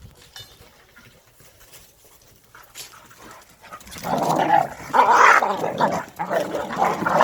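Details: Korean native Jindo dogs Sundol, Baekho and Ttoksuni during exercise time; after a quiet stretch, rough growling and whining bursts rise in the second half, dense and repeated, with a person's voice nearby.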